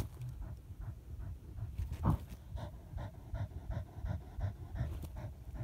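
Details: Deutscher Jagdterrier working on a badger hunt: short, evenly spaced breaths about three per second, quick and huffing, above a dull low-frequency background and one louder thump.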